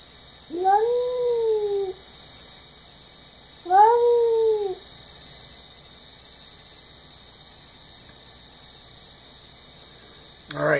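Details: Domestic cat indoors screaming at a neighborhood cat just outside the window; two drawn-out wailing cries, each rising then falling and lasting over a second, about three seconds apart, then a brief sharp sound at the end.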